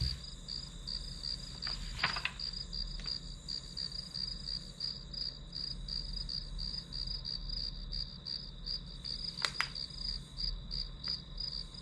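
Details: Grass insects chirping in a steady high, pulsing trill that beats about three times per second, with two sharp clicks near two and nine seconds and a low background rumble.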